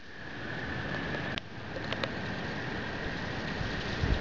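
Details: Male American toads give a long, steady, high trill that drones on unbroken beneath heavy rushing noise, singing at night at a spring breeding site during migration.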